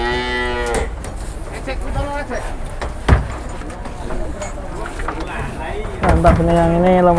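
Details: Cattle unloaded from two arriving trucks, one holding a jumbo animal: a short harmonic moo opens, then knocks and handling noise, and a lower, steadier moo closes the stretch amid background bustle.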